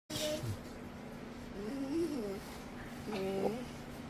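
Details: Dog named Windsor, who rarely barks, making unusual noises while getting attention: soft wavering whines and moans, a rising-falling one near the middle and another toward the end, over low background hum.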